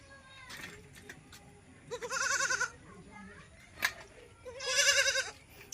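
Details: Osmanabadi goat on a goat farm in Shirdi, where local gavran goats are also kept: two loud, wavering bleats about three seconds apart, each quavering and nasal, with faint voices and a brief click between them.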